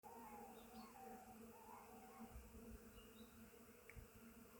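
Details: Many bees visiting a flowering willow in spring, a steady low droning hum with a deeper layered buzz throughout, while small birds add short whistled chirps in the background.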